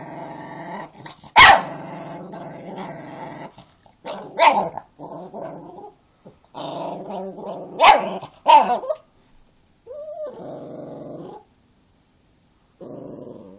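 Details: Angry Chihuahua growling in rumbling stretches broken by sharp yaps and barks, some growls rising into snarls, with short silent pauses between bouts.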